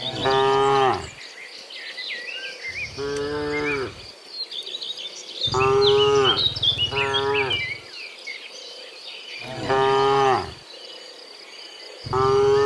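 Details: Morning herd of dozens of cows heading from the field back to the pen, repeated drawn-out moos every two to three seconds, some rising then falling in pitch, with crickets and small birds chirping throughout.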